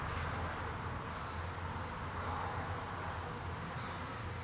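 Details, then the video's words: Honey bees foraging on a farm, coming and going from the hive on a May afternoon: a continuous low, droning hum of many wings over a dense hiss, steady throughout with no pauses. "foraging bees"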